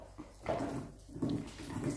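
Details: Two Siberian Husky pups, Teddy and Blaze, squabble over one toy, giving short, gravelly low growls in two or three quick bursts over a soft scuffling background.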